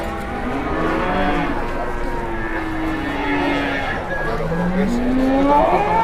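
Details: Large cattle at an Indonesian livestock setting: several overlapping long lowing moos, some sliding upward near the end, over a dense crowded din of many animals and people.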